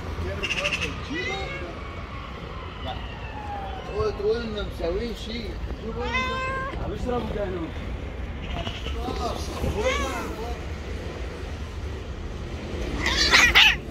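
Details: Street-dwelling white female cat, described as angry and jealous, utters a series of short and drawn-out wavering meows, some rising then falling, spread through the recording, mixed with human talking and a low background rumble.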